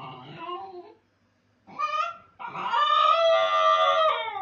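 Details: A Basenji left alone by its owner gives wavering, tonal cries: a falling wail, a pause, a short rising note, then a long loud sustained howl that holds nearly level to the end.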